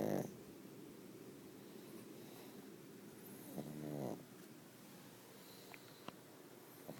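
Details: Sleeping pug with a short snort right at the start, then one longer buzzing snore a few seconds later, followed by quiet breathing and a few small clicks.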